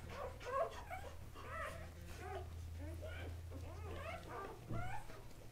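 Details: A chorus of short squeaks and chirping whimpers from newborn Kuvasz pups, three males of Casablanca line born October 30, 2008, overlapping in rapid bursts above a deep, droning hum.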